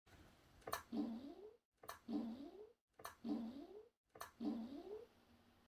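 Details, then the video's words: Squirrel calling indoors: four evenly spaced calls, each a sharp click followed by a low, nasal rising squeal, repeated about once a second in a quiet room. "Беличий звук"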